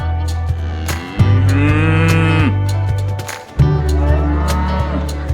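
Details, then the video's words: Cows in a market calling to their companions: two long, deep, droning moos, the first swelling and held about a second and a half, the second starting abruptly later, with scattered clicks and clatter of market noise. "the sound of cows in the market calling their friends"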